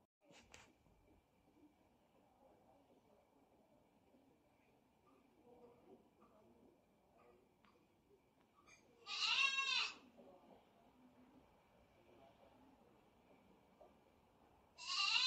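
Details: Kitten brothers Zero and sibling play-fighting; after soft scuffling, a sharp high squeal erupts for about a second, another starting right at the end.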